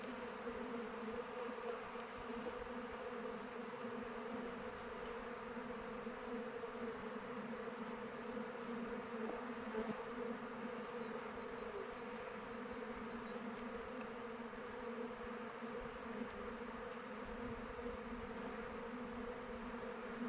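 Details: Honey bees on the wing around the hive in open weather produce a constant, layered hum, low and even, swelling slightly now and then as bees fly closer.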